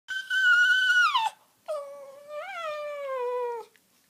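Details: Dog called Honey 'talking' to Kandy indoors: two drawn-out tonal howls, the first steady and high before sliding down, the second lower, rising to a small peak then sagging, with a short silent gap between.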